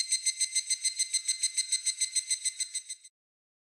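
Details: Evening cicada (higurashi), a Japanese summer cicada: a high, clear, bell-like trill of rapid pulses, about 3.5 per second, holding steady for three seconds before stopping abruptly.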